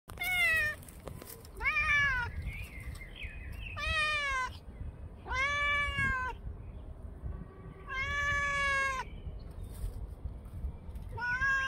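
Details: Brown, black and white female cat howling, recorded 10 May 2024 at 6:58 in the morning: a series of loud, drawn-out, wavering meows, about five calls spaced roughly two seconds apart, with faint bird chirps and low background rumble between them.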